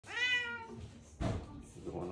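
A Siamese cat gives a loud, drawn-out meow that falls slightly in pitch at the end.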